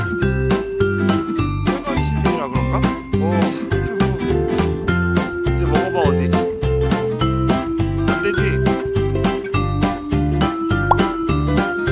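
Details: Cheerful jingling bells ring over a bouncy, rhythmic musical backing from start to end, with no animal voice heard.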